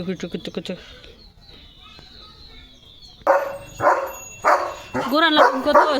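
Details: Pet German Shepherd Leo, worked up about a surprise chicken chips treat, lets out several barks and wavering whine-like yelps after a short spoken stretch, with a person talking nearby.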